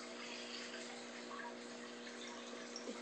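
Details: A steady hiss of running water with a low electrical hum, and no animal sound.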